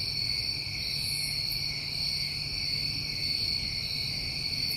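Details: Summer crickets recorded in New England. Many insects trill together as one continuous, even, high-pitched ringing that never pauses, with a faint low rumble beneath.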